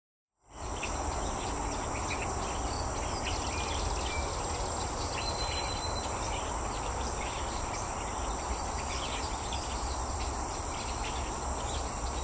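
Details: At a Western honey bee hive in a wooded parcel in Wethersfield, Connecticut, on 28 July 2024, bees make a thick, unbroken low buzzing roar, with a faint steady high trill, likely a cricket, above it.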